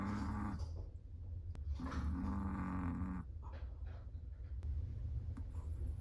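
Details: Sleeping Chihuahua snoring indoors: low, rough breaths with a faint hum, one short snore then a longer one of about a second and a half, followed by quieter breathing.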